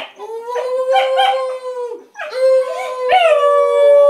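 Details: A basenji greets its owner, who has come home after a week away, with two long, rich yodelling howls, each wavering and then leveling off.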